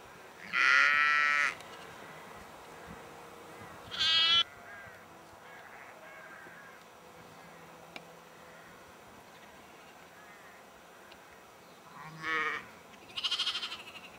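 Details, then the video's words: Several sheep at Egton in the North Riding of Yorkshire, April 2012: a loud bleat at the start, a shorter one near four seconds, then a long pause before two more bleats near the end. "Yorkshire Sheep"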